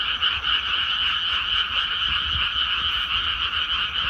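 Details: Many frogs croaking from flooded rice fields once planting is done, a steady rattling chorus of quick repeated pulses, about four a second, forming an unbroken buzzy wall of sound.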